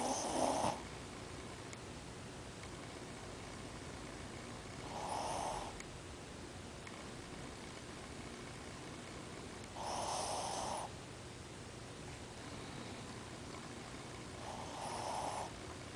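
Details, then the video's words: Ozzy the Shih Tzu snoring in his sleep, eyes open. Four raspy, wheezy snores come at a slow, even pace, one about every five seconds, each near a second long, with near silence between. "Ozzy, o Shih Tzu, roncando."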